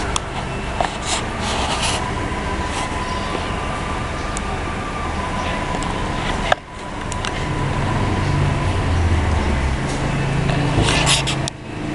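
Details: Loud rumbling vehicle noise with scattered clicks and knocks, and one sharp cut midway, with no clear animal voice.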